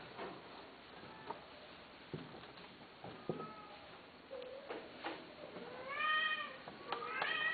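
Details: Domestic cats in a quiet indoor space: scattered soft clicks and taps for the first few seconds, then clear tonal meows, one drawn-out wavering cry followed by two or three shorter rising-falling mews near the end.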